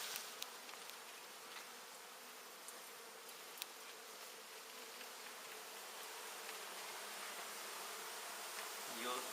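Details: Dense honey bee buzzing during removal of a big indoor hive, partly exposed and partly built into a wall; continuous even hum filling the room, a few sharp knocks early on.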